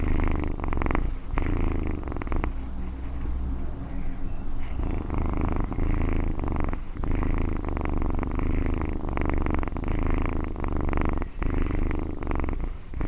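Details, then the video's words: Domestic cat purring close up: a low, throbbing rumble that pulses rhythmically with each breath, interrupted by a few short pauses. "Cat Purring"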